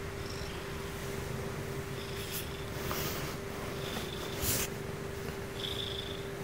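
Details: Female Ragdoll cat purring at bedtime, part of her sleep routine; a steady low rumbling purr runs throughout, with soft breathy rustles and faint higher noises now and then, recorded indoors.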